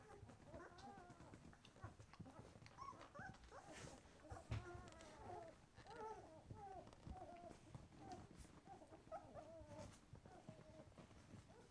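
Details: White Swiss Shepherd pups at twelve days, eyes just opening, murmur with soft, overlapping whines and little grunts, a low rumble of handling and shuffling noise beneath the thin, wavering cries.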